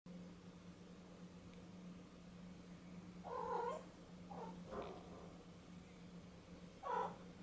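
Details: Domestic cat that suddenly goes after a clothes hanger, giving two short harmonic meows about three and a half seconds apart, plus a faint shorter sound between them, over a steady low electrical hum.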